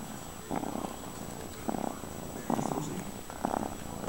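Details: Fred, a cat, purring in four short rumbling bursts about a second apart, each a low, grainy vibration separated by quieter pauses.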